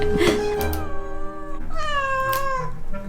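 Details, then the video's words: During a paw-fur trim, a domestic cat lets out a short cry and then a longer, slightly bending 'kkyang' meow, over continuous background music. "고양이 발톱털 꺙꺙 목소리"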